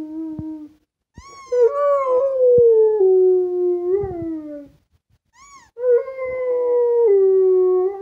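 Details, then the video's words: Django the Rottweiler sings along to a squeaky toy: long, smooth, falling howls with rich overtones, broken by short high squeaks of the toy, then a second sustained howl that slowly slides downward. "Django the Rottweiler sings to squeaky toy"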